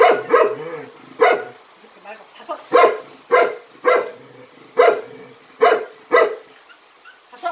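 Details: Jinmyeong, a Jindo dog from a performance troupe, gives a run of about nine strong, clipped barks at roughly even intervals, some in quick pairs, with softer whimpering notes in the gaps.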